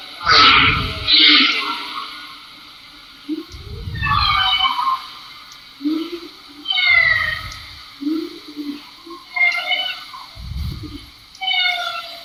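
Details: Bowhead whales recorded underwater, played back in a talk on ocean sound; repeated phrases of low pulsed moans followed by bright, harmonic upsweeping and wavering calls, roughly every three seconds, with faint music behind.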